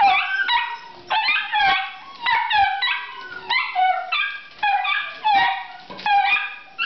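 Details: Italian Greyhounds, four pets indoors, singing while waiting for their owner to come home from work: repeated high, wavering howls and yips, several voices overlapping in bursts about every half second.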